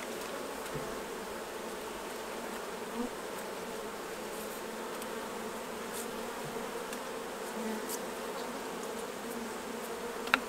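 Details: Honey bees swarm around hives being emptied for the honey harvest. Their constant, layered drone stays even throughout, marked by a few faint taps and one sharp click at the very end.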